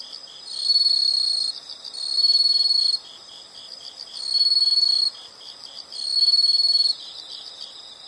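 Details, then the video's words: Insects sing four separate bursts of shrill, fast-pulsed trilling, each about a second long, with quieter stretches of softer background chirring between them. "the sound of insects"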